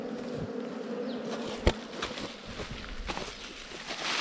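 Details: Wild bee nest found on a honey hunt, the insects giving a continuous low humming drone, with one sharp knock and faint rustling handling noises over the buzzing.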